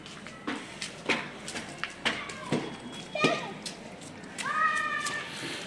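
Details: Hungry kitten of an adopted Indian street cat family, crying for its mother cat. Hindi speech and clicks come first, followed by a clear drawn-out meow with a slightly falling pitch near the end.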